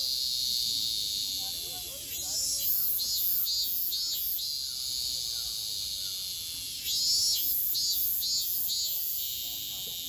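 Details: Cicadas in Japan, summer 2022, a loud buzzing chorus that swells and pulses in rapid throbbing waves, fading around the middle then surging back, with faint chirps below.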